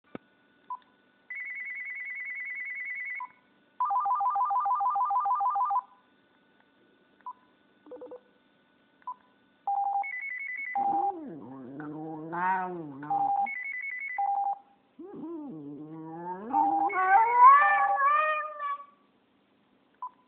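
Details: A pet Japanese Spitz howls at a phone indoors: a stretch of ringtone and beeping tones, then two drawn-out wavering howls with bending pitch, each rising and falling over a few seconds while short electronic beeps continue around them.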